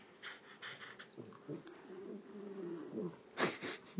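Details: A dog howling indoors, a wavering, drawn-out tonal wail that rises and falls through several seconds, with soft clicks and a brief breathy burst near the end.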